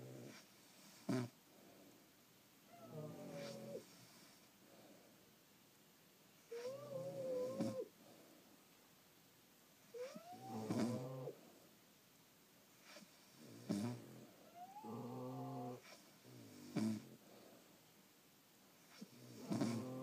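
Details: French Bulldogs asleep at home give irregular snorts and wheezy breaths, some with whistling rising tones, separated by soft pauses, with occasional clicks and small noises in a quiet room.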